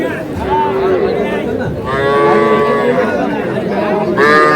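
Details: Young bull and heifer calves at a crowded Madaripur cattle market, Bangladesh, 17 February: three separate moos, each under a second and harmonically layered, spaced across the clip over a hum of background chatter.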